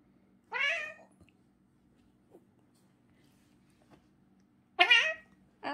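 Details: Domestic cat meowing while having its teeth brushed indoors; two loud, harmonic meows, the first drawn out and falling, the second rising then falling, then a third cut off at the end, with a steady low hum and a woman talking between.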